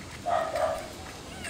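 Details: Rottweiler puppy while the litter nurses from their black mother; a short, tonal yelp-like whine rising and holding briefly, then fading into room noise.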